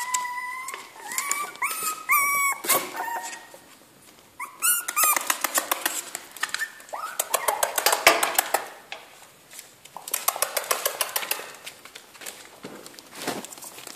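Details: Jack Russell Terrier puppies in a kennel, several voices giving high whining and yelping calls, some rising and falling, mixed with clattering and rustling noises in a small indoor space.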